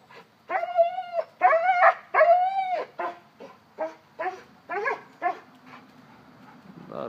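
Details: Rhynomax, a one-year-old Cane Corso acting like a baby, gives a run of long whining cries, the first three loud and sustained, followed by shorter fading whimpers and yelps, with a quiet background hum.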